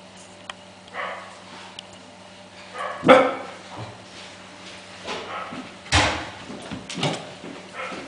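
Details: Five-week-old Welsh Corgi puppies exploring, playing and scuffling with each other; sparse short yelps and yips come in a few bursts, the loudest near the middle and again later, over a steady low electrical hum.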